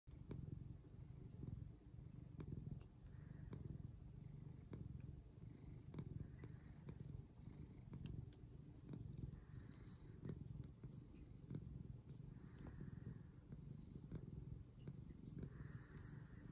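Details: Domestic cat purring, a mother cat's purr set beside her son's for comparison; steady low rumbling pulses run throughout, close and soft, over faint background hiss and occasional light clicks.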